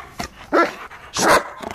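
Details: Giant Schnauzer named Vito, at play: two loud, deep barks about 0.7 seconds apart, each a broad burst, with a softer short yelp before and after them.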